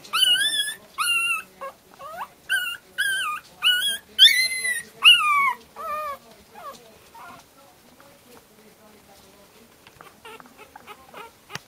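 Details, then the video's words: Pomeranian puppies howling in a chorus. A quick run of short, wavering, yodel-like howls rises and falls in pitch for about seven seconds. They then trail off into faint yips and small clicking noises. "Pomeranian puppies song contest contribution"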